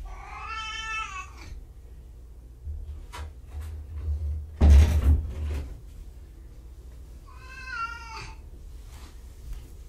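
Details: Kittens at Purrfect Pals, two surrendered litters, indoors: two clear wavering meows, one at the start and one near the end, with clicks and a loud thump between.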